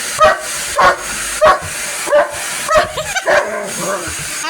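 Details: A police dog barking indoors at a Dyson vacuum cleaner that it hates, described as angry; sharp barks in short bursts about every half second, with a woman talking over them and telling it to go away.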